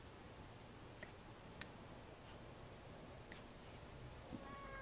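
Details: Domestic cats Munchkin and Boo playing indoors; soft taps and rustles give way to a short harmonic meow right at the end, cut off as it sounds, in a quiet small room.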